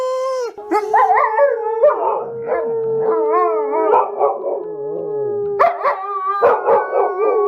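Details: Several dogs howl together: one long steady tone holds throughout while other voices rise and fall in wavering howls, with brief yelping breaks near the middle and end.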